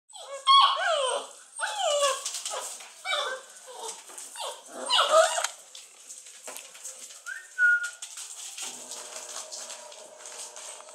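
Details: Basset Hound puppies, 43 days old, whine in high, wavering cries that rise and fall in bursts.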